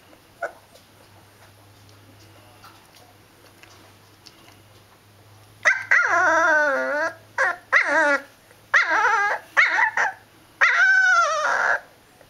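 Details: Howling from a liver-and-white male dog. After a quiet start with a faint hum, a run of long, tonal wails bends down and back up, broken by short gaps and ending in a higher, rising cry.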